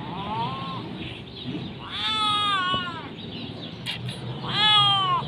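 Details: A hungry kitten asks for food before eating a hearty meal, giving three separate meows. The first is short and soft, the next two are longer, rising then falling. A person speaks nearby.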